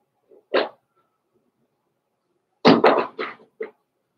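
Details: Cavalier King Charles Spaniel puppies, Blenheim coloured, born November 14, 2022, in a home puppy pen: one sharp bark, a pause, then a quick run of three or four rough barking yelps.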